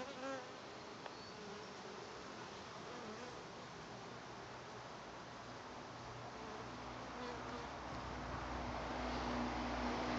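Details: A settled honey bee swarm at a farm in June gives a dense, steady buzzing drone that swells slightly toward the end.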